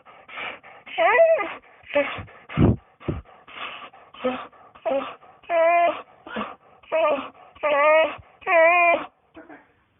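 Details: Persistent dog whining: a dense series of short, quavering high whimpers, roughly one every half second to second, mixed with breathy snuffling bursts and a couple of low thumps.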